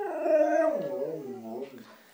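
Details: A white female Siberian Husky wanting cheese doodles lets out one drawn-out howling moan that holds steady, then slides downward and fades in a wavering tail.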